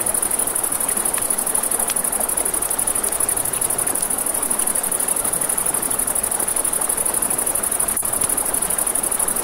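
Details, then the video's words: Night crickets by a river keep up a continuous shrill, finely pulsing trill, while river water hisses beneath and a nearby campfire snaps and crackles now and then. "Campfire by the River at Night Ambience | 1 Hour of Crackling Fire, Crickets, Ambient Nature Sounds"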